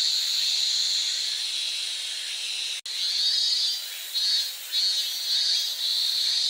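A cicada sings a loud, steady, high-pitched buzz that swells in pulsing waves.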